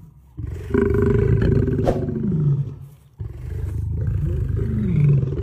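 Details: Female lion roaring: deep, drawn-out groaning roars with a low rumbling tone, one long roar falling in pitch at the end, a brief near-silent pause, then a second sustained roar rising again.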